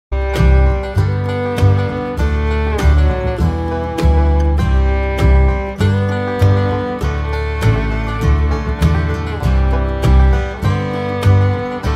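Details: Loud country-style music with plucked guitar and strings plays throughout, steady rhythmic strums and no animal voices audible.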